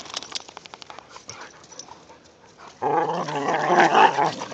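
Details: In the season's first light snow, whippets romp with a rat terrier. Soft, rapid patters and faint noises give way to a sustained, rumbling, harmonic growl in the final two seconds.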